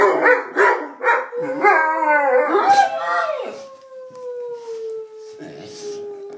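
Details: Two Bullmastiffs singing along to noises, choppy wavering yowls at the start settling into one long, smooth howl that slowly drops in pitch and fades.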